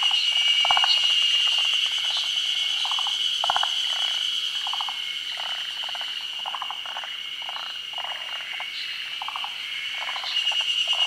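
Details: Forest green tree frogs, endemic to Japan, calling at a daytime spawning above still water during the rainy season. Steady runs of short, rattling pulse-bursts repeat about three times a second under a continuous high, thin droning tone.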